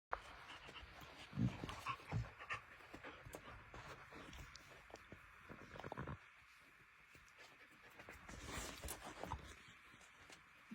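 A Cardigan Welsh Corgi puppy pants in quick, breathy bursts, with a couple of soft low grunts.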